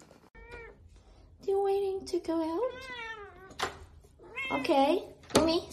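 A Siamese cat gives drawn-out, wavering meows with rising and falling pitch, while a woman talks nearby.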